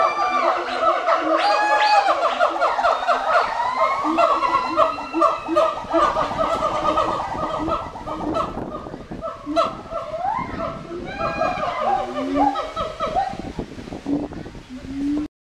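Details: Gibbons at Twycross Zoo call loudly together in a chorus of rising and falling, siren-like hoots and whoops.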